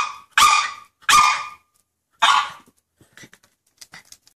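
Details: Six-month-old West Highland White Terrier on a deck, barking after spotting a squirrel: three loud, sharp, high barks in about two seconds, followed by softer clicks and small sounds.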